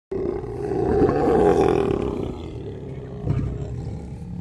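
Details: Lions in a pride hangout on safari in Kenya, snarling up close; a harsh, low growl swells over about two seconds, then fades before a shorter rough burst near the end.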